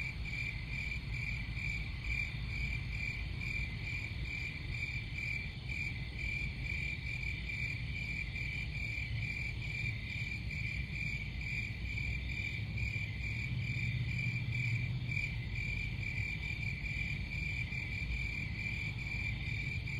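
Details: A steady wall of cricket chirps with high, quick, even pulses at a fixed pitch and faint higher layers. Low rumbling noise sits underneath, and a brief low hum appears near the end.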